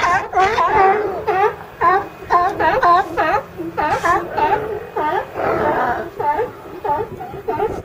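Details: Loud, hoarse barks from a group of California sea lions, repeated about twice a second in uneven runs, several animals overlapping, with a brief drawn-out groan near the end.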